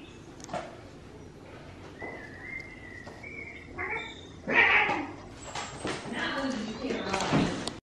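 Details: Tiger Jim, an energetic young male cat still looking for a home, picks on another cat named Paddington indoors. Faint thin tones come first, then a loud harsh cry at mid-clip and another near the end, with human talking throughout.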